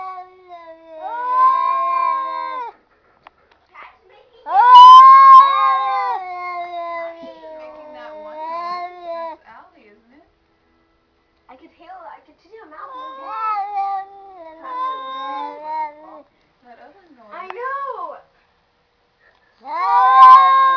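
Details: Cats talking back and forth with drawn-out, warbling yowls of varying pitch, some rising and wobbling, broken by silent gaps and ending in a sharp, loud call.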